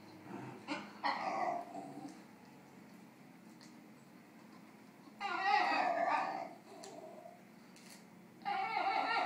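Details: A Basenji wanting another dog's snack gives bursts of harsh, wavering yodel-like vocalizations separated by brief pauses.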